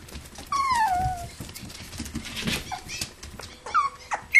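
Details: Toy poodles and Pomapoos playing indoors in a living room play area, 11/9/07; a single drawn-out falling whine, then quiet rustling and a couple of short high whimpers near the end.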